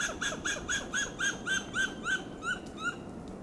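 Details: In Del Monte Forest, California, a western gray squirrel in a coast live oak gives loud alarm calls: a rapid series of hoarse, arched barks, about four each second.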